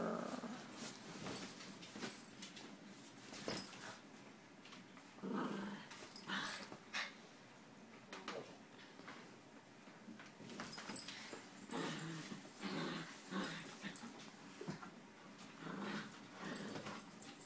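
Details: Poodle described as vicious, growling indoors in a small room: low rasping rumbles come in uneven bursts, with soft snorts and quiet pauses between them.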